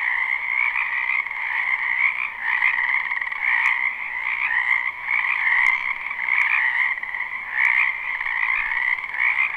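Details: Wild frogs croak in a dense spring chorus in a wetland behind a house, recorded live without looping: a steady, overlapping trilling hum with a few sharp clicks standing out above it.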